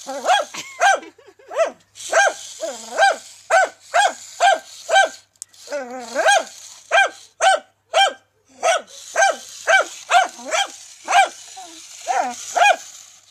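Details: A dachshund confronting a remote-controlled toy tarantula barks in rapid, sharp bursts, roughly two a second, with a brief whine between.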